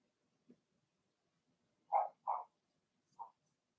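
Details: Blenheim Cavalier King Charles Spaniel puppies from a litter of six, two girls and four boys, indoors in the puppy pen; three short yappy barks, two close together then one softer, after a faint low sound.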